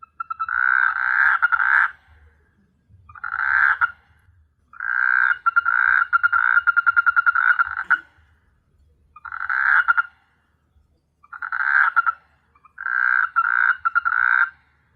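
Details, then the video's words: Night chorus of frogs on S.Hulhumeedhoo, Maldives, an island full of frogs: repeated raspy, pulsing croak bursts of one to three seconds, some with rapid rattling clicks, coming in steady bouts with brief pauses between. "Beautiful frog sound at night"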